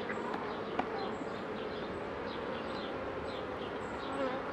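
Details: Honey bees at Mini+ hives opened by a beekeeper during a 2018 inspection of drone-laying colonies, with shaking and queen introduction: a dense, steady low hum with thin higher overtones, faint high chirps, and a sharp handling click near the start.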